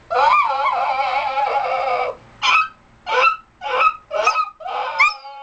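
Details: Wavering, warbling howl from a dog for two seconds, followed by five short rising yelps spaced about half a second apart.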